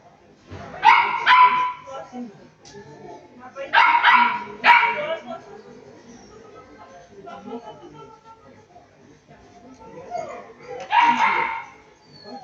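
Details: Shetland Sheepdog barking at a dog sports competition, loud paired yapping barks repeated in three bursts several seconds apart, with human speech and crowd noise underneath.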